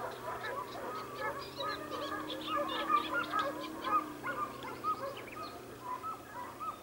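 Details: At Sofiko in the Evros region, 12 June 2021, Segugio Italiano dogs bay in a rapid string of short, bending yelps, roughly two per second, from more than one hound, over a low steady hum.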